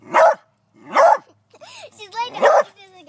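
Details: Beagle working up the courage to catch a praying mantis: three sharp, clipped barks roughly a second apart, with rising, wavering whines squeezed between the last two. The room is otherwise quiet.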